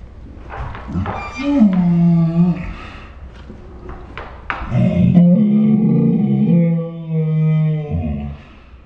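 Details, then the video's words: Ours, a Saint Bernard dog 'talking', makes short grunts and clicks followed by two low, rumbling harmonic groans, the second long and sustained for about three seconds, in a small room. "My Saint Bernard makes dinosaur sounds"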